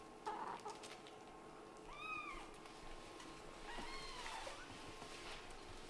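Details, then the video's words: Kitten born to a Scottish Fold mother and British Shorthair father, meowing while playing; two bright, bent meows roughly two seconds apart, a short squeak at the start and light indoor rustling. "This kitten is probably the one who meows the most with such a cute face!?"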